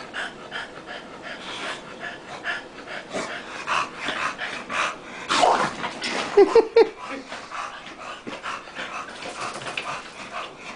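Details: Tank and Bofa, two dogs at play-wrestling, pant quickly and softly in rapid breaths, broken by a louder scuffle and a few short squeaky yelps past the middle.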